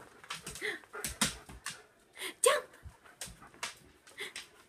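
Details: Happy husky indoors after waking up, giving short bouncy woo-like howling calls with rising and falling pitch, several bursts over a few seconds, one loud peak midway, while a woman greets it warmly and calls it to jump.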